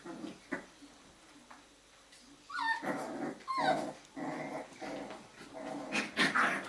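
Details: Jack Russell Terrier puppies from a breeder's litter playing in the evening, low rumbling growls mixed with short rising whines and yips, several pups overlapping.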